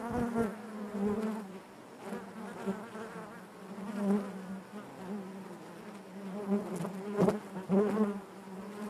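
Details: Steady buzzing of many honey bees inside a hive, a low droning hum with stacked overtones that swells and fades, broken by brief sharp ticks as bees move about.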